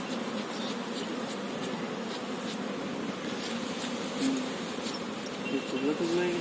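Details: Many honey bees at an opened beekeeping hive holding a queen bee, humming in a constant low buzzing drone. Faint ticking clicks recur, and a human voice breaks in briefly near the end.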